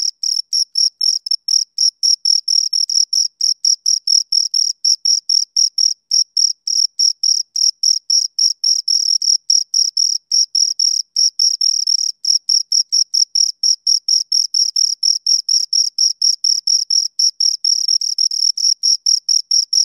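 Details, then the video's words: A pair of crickets keeps up a rhythmic, shrill chirp, short bright pulses following one another at an even pace of roughly two per second, with no other sounds present. "Two Crickets Chirp Sounds"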